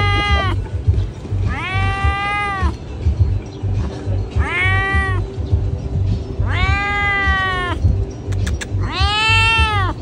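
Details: Pregnant cats meowing loud, five arched, whining meows spaced roughly two seconds apart, each lasting about a second, set against a constant low-pitched background drone.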